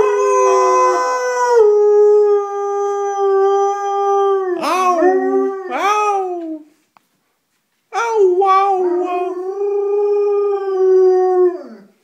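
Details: Pet dog, a female, giving a good morning howl because she is hungry and wants food: long, loud, steady tones with rich harmonics, broken by wavering rising yelps mid-clip, a short silence, then another sustained, slowly falling howl.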